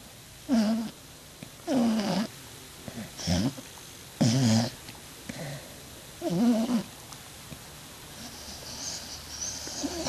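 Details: Nacho, a pet dog, snores through a nightmare while asleep: five rough, breathy bursts about a second apart with a low throaty rasp, then quieter hissing breaths.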